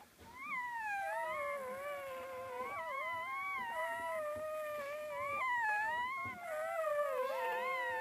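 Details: Several puppies of a dog named Gryzia, nursing, whine continuously in overlapping high, wavering tones that rise and fall, several voices layered together, with a few brief dips and fresh rising cries through the stretch.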